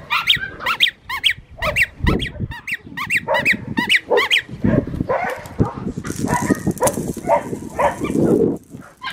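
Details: Six-and-a-half-week-old black tri female Australian Shepherd puppy named Bianca, Fifteen Acre Farms, Oklahoma, April 17, 2022: quick high yips repeated about every half second, then fading into softer whimpers with a hiss of background noise.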